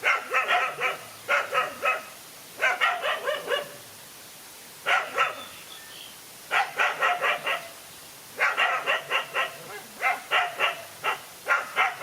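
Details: Dogs in a fight, a lone dog against two males: quick clusters of sharp barks, several per second, broken by short gaps, steady in loudness.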